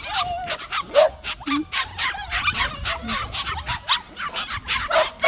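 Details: Many white puppies in a plum orchard give a busy chorus of high yips, short barks and whimpers, overlapping constantly, while a woman talks and laughs nearby.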